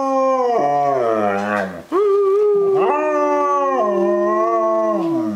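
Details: Cher, a female German Shepherd kept as a pet, howls in long drawn-out wavering tones that slide downward, over steady stepped notes of accompanying music, with a brief break just before two seconds.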